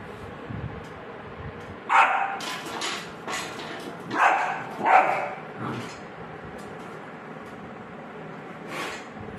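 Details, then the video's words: Rottweiler puppy barking at a bucket, several short harsh barks bunched between two and five seconds, then one more near the end, over a steady indoor background hum. "Rottweiler puppy barking at the Bucket and got tired"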